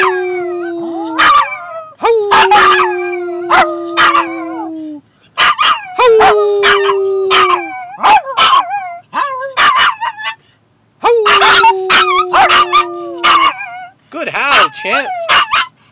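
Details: Two Maltese dogs, the puppy Emmie, still learning to howl, and Champ, howling together when prompted by the owner to ease Emmie's separation anxiety: long steady tones mixed with yips and wavering cries, several bursts over the clip.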